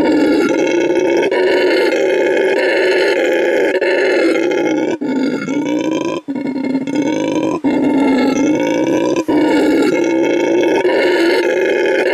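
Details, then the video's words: A male red howler monkey at La Senda Verde Animal Refuge in Bolivia roars with vocal stamina, a deep rasping bellow held for long stretches with brief breath breaks. "Hear a male howler monkey roar"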